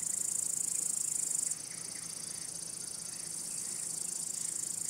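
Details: High, unbroken shrill buzzing of male crickets, sung to attract females, court them or scare other males, quieter after the first second and a half, then gradually strengthening again.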